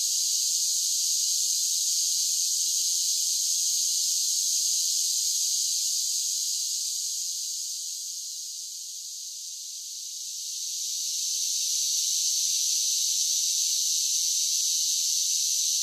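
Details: Cicadas singing in summer, a dense, steady high-pitched buzzing drone that dips briefly in loudness midway before swelling back to full strength, with no other sounds.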